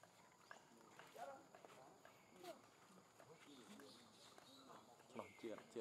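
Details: Newborn baby monkey crying for its mother, giving short, sharp, bending wails that rise and fall, with gaps between them. People talk nearby throughout, and there is faint outdoor background noise.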